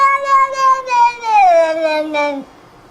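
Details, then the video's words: Drawn-out cat meow, clear and harmonic, holding steady then sliding gradually downward in pitch over more than two seconds before stopping abruptly. "Funny sound- cat"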